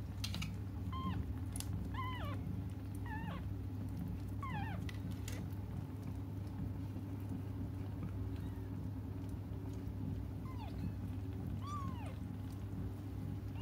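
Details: Cats calling out as they wait for their mother: a run of short, repeated meows about once a second early on, then a long gap and two more rising-falling cries near the end, over constant low droning noise.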